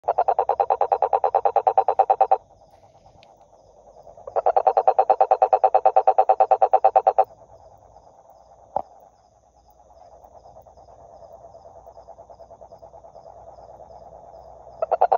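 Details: Toad croaking in loud rapid pulsed trains of about two to three seconds, separated by pauses filled with a softer continuous trilling chorus; a single sharp click partway, and a new train starting at the end.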